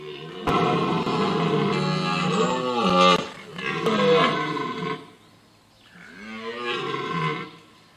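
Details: Autumn rut in the Vercors, France, 30 September 2022, toward nightfall: a red deer stag roars almost without a break, deep hoarse bellows swooping up and down in pitch, broken by sharp clicks, with a last weaker bellow after a dip.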